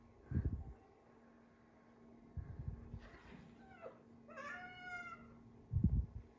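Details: Rescued cats indoors with big cat Tony and Oreo: a faint mew, then a clear harmonic meow that rises and falls, between low thumps of movement and a steady hum.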